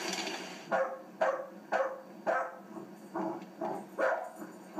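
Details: Puppy three months old at play, letting out a string of sharp, evenly spaced little barks about twice a second, each one clipped and high-pitched, with a short gap midway.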